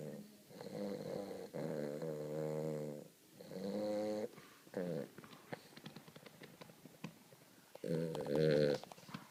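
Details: Weimaraner puppy called Cody snoring during a nap. Buzzy harmonic snores in the first half give way to soft clicks and shuffling sounds, then one last loud snore.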